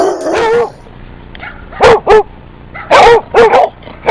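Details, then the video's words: Basset Hound giving a run of loud, deep barks, single at first then in quick pairs and a triple, each with a rough, falling tone over low background hum. "Basset Hounds Making Sounds"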